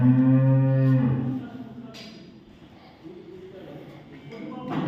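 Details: Dairy cow at a farm in Samora village, Karnal district, Haryana, lowing with a single loud, steady, deep moo of about a second, which fades into quieter background rumble and a few soft knocks.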